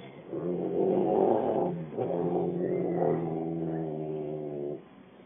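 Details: A Rottweiler named Bruno, said to have an attitude, gives a long, low, rumbling grumble that rises and falls in pitch.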